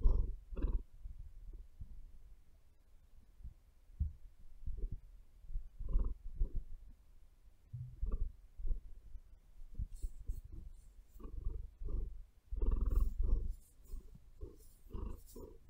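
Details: Close, comforting purr from the cat Maia: a low rumbling drone that swells and fades with each breath, roughly one surge every second or two, with light scratching of claws in the bedding later on.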